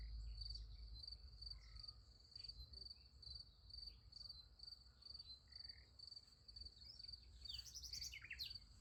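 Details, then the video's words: Crickets at night beside a sunflower field: a steady, high, rapidly pulsed chirping holds at one pitch throughout, with a few brief bird chirps breaking in near the end over a low background rumble. "Nice Sunflower Field with Crickets Sound Effect"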